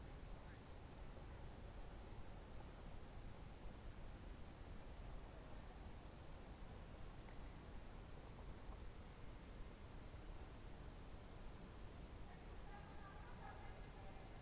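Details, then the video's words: Crickets sing through a June 2023 evening in Novgorod Oblast's Novye Buregi tract: a relentless high, finely pulsed trill, with faint distant bird notes near the end and low background rumble. "Звуки природы , сверчки"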